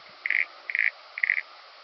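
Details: Common pincer grasshopper song from Pag, Croatia, 2 September 2019, heard as three clear buzzy mid-pitched bursts about half a second apart, each lasting roughly a fifth of a second.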